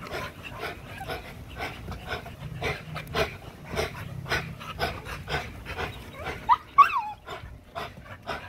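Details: During a spring pole workout, an XL American Bully pitbull pants hard in quick, uneven gasps, roughly three per second, then gives a brief high whine near the end.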